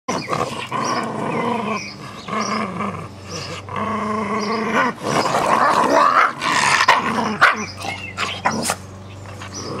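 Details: Two Jack Russell Terriers playing with a soft toy rabbit: rough, rumbling growls with stacked harmonics rise and fall in uneven bursts, broken by short sharp scuffling noises and brief pauses.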